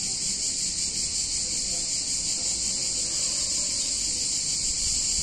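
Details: Many cicadas in an Italian town on a hot summer day, producing a continuous shrill, hissing buzz at a constant level, with only a soft low murmur of background sound beneath it.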